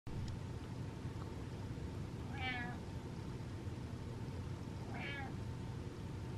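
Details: Butters, a pet cat, gives two tiny, brief meows about two and a half seconds apart, each a short wavering squeak over a quiet indoor hum.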